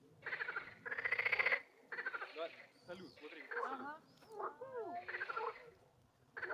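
A frog gives bursts of rapid, pulsed, raspy croaks, each lasting under a second.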